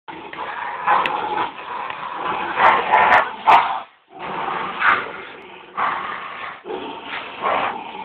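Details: Border Terriers in a tug-of-war contest, one barking too much before losing grip; rough, noisy growling bursts lasting one to three seconds, separated by brief silences, with a few sharp clicks.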